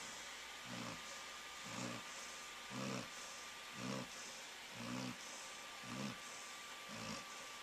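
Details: A sleeping Labrador Retriever named Flounder snores with Conal, a dachshund, lying next to her on 13 March 2011. Deep, throaty snores come at a steady pace of roughly one per second against a constant background hum.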